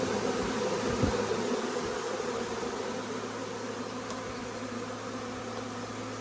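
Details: Honey bee swarm arriving and going into a nuc hive; heavy, continuous buzzing of many bees, slightly louder at first and easing a little toward the end, with a few brief sharp ticks.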